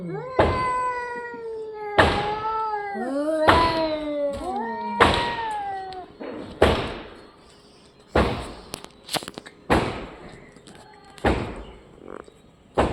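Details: Orange and white domestic cat giving a run of rising and falling meows, several in quick succession in the first half, then sharp knocks and clicks with quieter gaps toward the end.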